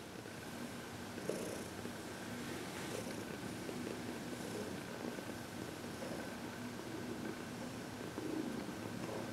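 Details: Heidi, a happy 14-year-old senior cat adopted from the Humane Society of New York City, purring during massage and reiki indoors; a steady low continuous rumble with faint soft rustling.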